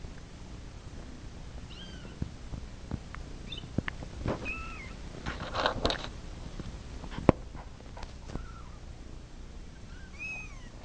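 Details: A domestic cat wanting to get to its mama mews softly several times, short high arched calls spread across the stretch, amid clattering, tapping and rustling handling noises in a room.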